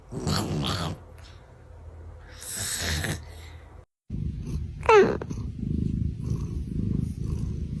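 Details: A sleeping female pet cat snores indoors: low, rasping breath noises swell around the first and third seconds. A brief squeaky gliding tone follows near the fifth second, then a steady low rumbling drone continues to the end.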